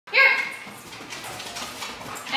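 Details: German Shepherd Dog in K9 protection and obedience training: one loud, harsh bark at the start, followed by echoing room noise and faint background sounds.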